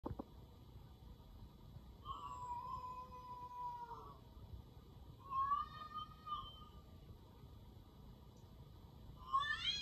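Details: Domestic cat reacting to hearing another cat's meow indoors; soft, drawn-out meows come in three spaced bouts, the last rising sharply at the end, over a low steady room hum.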